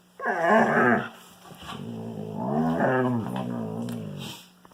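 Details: During indoor play with a Kangal puppy, a wolfdog utters two drawn-out growls: a loud, rasping first one under a second long, then a lower, moaning, rumbling growl that bends up and down for about two seconds.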